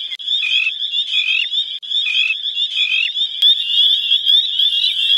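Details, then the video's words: A dense spring peeper chorus of dozens of thumb-tip-sized frogs at Crex in spring after winter: countless high, piercing peeps blending into a shrill, ringing wall of sound. "Spring Peepers Calling"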